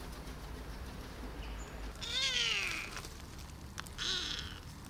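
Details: Male kitten rescued after its mother abandoned him, now grown for six months. It gives a clear, loud falling meow, followed by a brief softer second mew, against low background noise.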